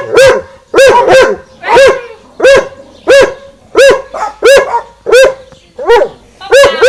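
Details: At the garden fence, dogs Winston and Popeye trade barks: a steady run of about eleven loud, clipped barks, evenly spaced at a bit more than half-second intervals.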